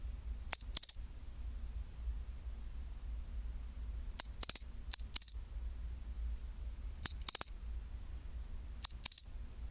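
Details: Pine cricket song at 24°C, the chinchirorin pattern: four groups of high tinkling chirps spread over ten seconds, each group a pair or trio of crisp ringing notes, with faint low-frequency hum behind.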